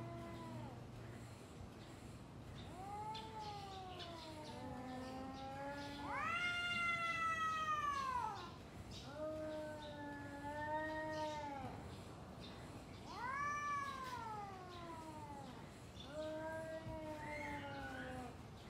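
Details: Two domestic cats trading calls before a fight: a series of long wavering yowls, some low and moaning, others higher and louder, alternating with short pauses, like a back-and-forth exchange; faint background hum.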